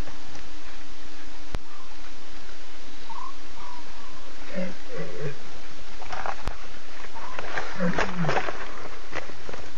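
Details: Lions calling at 2:50 a.m. on September 8, six cubs talking with three Nkuhuma adult females contact calling; a cluster of short wavering mews midway, then a burst of harsher overlapping calls near the end, steady hiss throughout.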